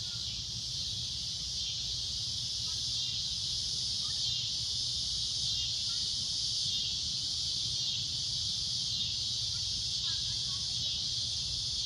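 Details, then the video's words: Cicada droning at sunset: a loud, shrill, continuous high buzz that holds steady throughout, with faint brief bird chirps and low rumbling background. "Cicada A Loud Shrill Droning Noise"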